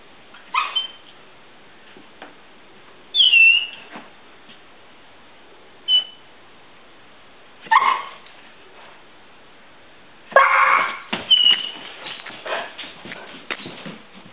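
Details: Lichen, a pet dog on constant watch for squirrels, gives birdie-like sounds to announce them: short high whistled whines with thin squeaks, in separate bursts every few seconds, then a longer run of chattering whimpers near the end.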